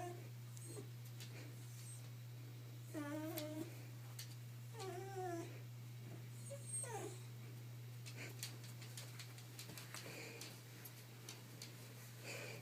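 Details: Boo, a female Shiba Inu aged two, is frantic to find a hiding spot indoors for her edible chew. Two wavering, quavering whines stand out amid light clicks and scratching. A steady background hum continues throughout.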